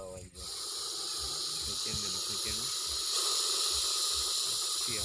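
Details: Venomous Russell's viper recorded in a village, giving a continuous, even, harsh hiss that runs almost the whole time and swells slightly midway, with people talking softly underneath.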